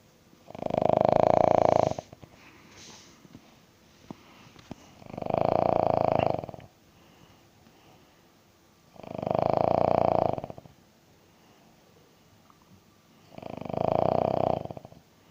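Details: A King Charles Spaniel asleep indoors gives four loud, buzzy, rattling snores, each about a second long, spaced roughly every four seconds, with quiet breathing in between.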